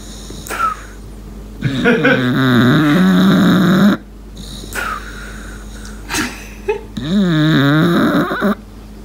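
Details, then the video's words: Asleep indoors, Lincoln the English Bulldog makes two long, wavering, nasal whistling snores a few seconds apart, with quiet airy breaths and a brief higher whistle between them. "Lincoln whistles while he sleeps | ENGLISH BULLDOG"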